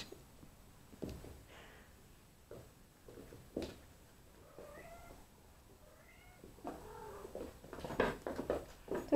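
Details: Neva Masquerade kittens from two litters at a breeding cattery in Poland, playing in the evening under the care of their mothers and an older sister; several short rising mews at scattered moments, with thumps, rustling and a woman speaking quietly.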